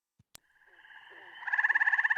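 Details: Eastern gray treefrog in the Chicago region calls in May, the peak of its late April to late June season: a slow, flute-like, bird-like musical trill of separated pulses. It starts soft and swells to full strength after a couple of faint clicks.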